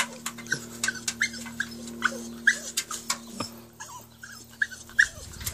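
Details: A 13-week-old Staffordshire Bull Terrier puppy up a ladder indoors gives short, high whimpering yips roughly every half second, thin and repeated, with a steady background hum in a small room.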